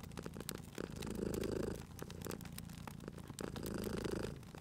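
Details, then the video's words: Cat purring at a cozy fireplace: a low, buzzing rumble that swells twice with each breath, mixed with crisp crackles and snaps of the burning fire. "Cute Purring Cat at a Crackling Fireplace"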